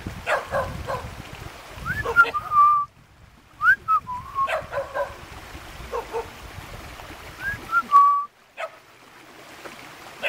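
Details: Several puppies in a mountain village near Jeonju, South Korea, make short whistled whimpers, each rising sharply then sliding down to a held note, in three bursts separated by quiet gaps, over soft rustling and scuffling.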